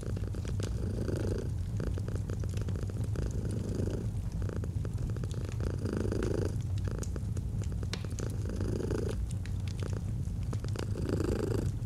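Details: Domestic cat purring by a fireplace in a cozy autumn scene: a deep, even rumble that pulses with the breath, swelling roughly every two seconds, accompanied by scattered crackles from the burning fire.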